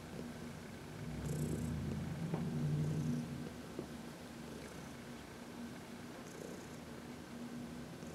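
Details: Elderly female house cat aged 14, formerly a shelter resident, purring during a sunny massage, March 19, 2021; deep continuous rumbling purr swelling louder in the first seconds, then softer, with brief faint high hiss bursts.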